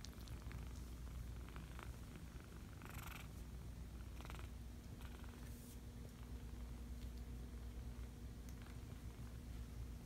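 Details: Low continuous purring from five-week-old kittens, with brief soft rustles or handling noises near the third and fourth seconds.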